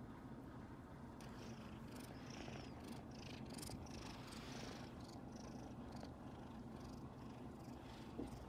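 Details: A kitten, happy beside two relaxing tabby sister cats and being petted by its owner, purrs loudly and steadily: a low continuous rumble with a soft pulsing rhythm.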